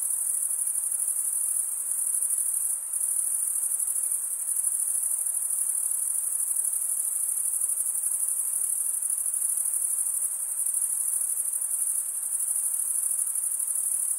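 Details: Steady cricket chorus, males producing stridulation with toothed wing veins, a piercing high trill that never stops, finely pulsed and level throughout, with a brief soft dip near the start and faint hiss below.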